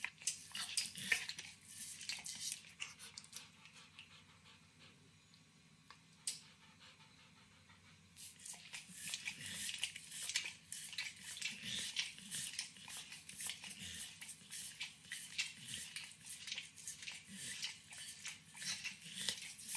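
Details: A nine-year-old Pit Bull named Max works at overcooked bacon indoors. Moist smacking licks and nibbles are recorded close, then a quieter stretch of a few seconds, then busy wet clicking again.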